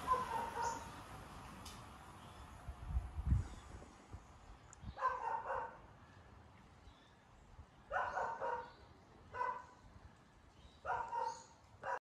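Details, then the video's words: Dog barking in short bursts, four distant-sounding barks spread about every one and a half to three seconds, over low background rumble and faint noise. "Dog barking"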